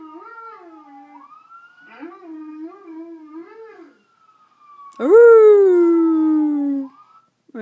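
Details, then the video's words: Alaskan Malamute attempting to howl along with recordings of other malamutes: wavering, warbling 'woo-woo' sounds rising and falling, a brief pause, then a strong howl that jumps up and glides steadily down. "Alaskan Malamute Trying to Howl"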